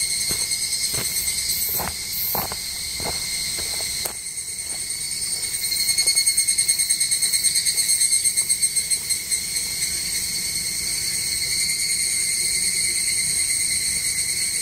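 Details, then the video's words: Japanese cicadas singing in forest on the Tokai Nature Trail near Sekigahara. A continuous shrill, ringing tone carries throughout; footsteps tap early on, then the drone pulses rapidly in rhythmic beats midway before steadying again. "Marching to a Japanese cicada sound track."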